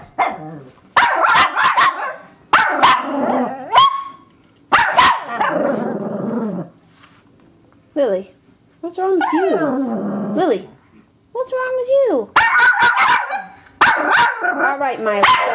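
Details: Shih Tzus upset at a UPS truck: sharp barks mixed with wavering, rising and falling howls and whiny cries as one dog goes wild and another cries, barks and howls.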